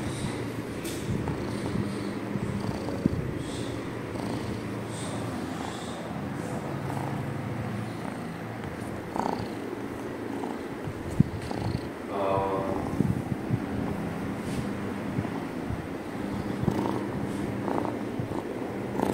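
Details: Domestic cat purring loudly, a continuous low buzzing rumble with rhythmic breathing surges, broken by a few brief snuffling and rustling noises near the microphone.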